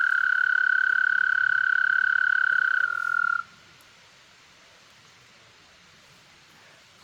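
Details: Toad making noises while trying to mate: a loud, even, rapidly pulsed trill at a single high pitch lasting about three seconds, dropping slightly before it stops abruptly, then near silence.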